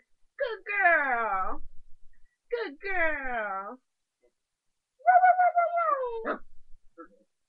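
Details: A 3½-month-old puppy at play gives long, falling, harmonic-rich whining howls, two drawn-out cries followed by a steadier held howl ending in a short bark; a woman's voice murmurs faintly beneath.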